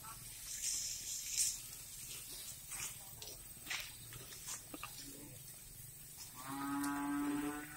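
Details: Cattle on a breeding farm in Riau, Indonesia: after a stretch of farm noise with clicks, knocks and faint voices, a sustained, steady, harmonic low moo starts and holds for over a second.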